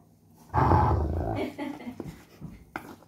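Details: Sheeba, a pet German Shepherd, growls angrily at being stopped from eating a coconut shell: a loud, deep, rough rumble lasting about a second, then fading into softer grumbles and a few short sharp noises.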